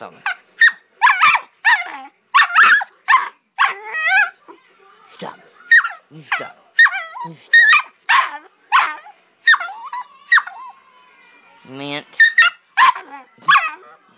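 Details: Pit bull puppy, a family pet, 'arguing' back at a person: rapid bursts of short, yappy barks and grumbling whines, about one every half second, with a brief lull near the middle and a drawn-out whine near the end.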